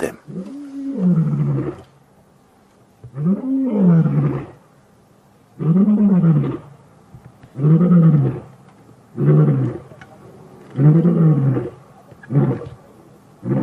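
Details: Male lions of the BB coalition challenging the Matimbas coalition as a takeover begins, 5 August 2015, one roaring straight at them: a series of deep, drawn-out roars in bouts every two seconds or so, each rising then falling, faint speech behind.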